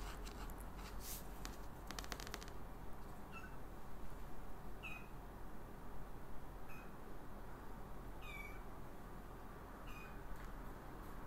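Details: Exotic Shorthair x Ragdoll kittens born 15 August 2022, nursing from their mother indoors; thin high squeaky mews repeated every one to two seconds over a steady low background hum, with a brief rustle near the start.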